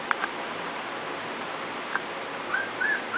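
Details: Corgi puppies just over four weeks old, kept in a new swimming pool, give short high whistled whimpers, several thin squeaks bunched near the end after a sharp click, over steady background hiss.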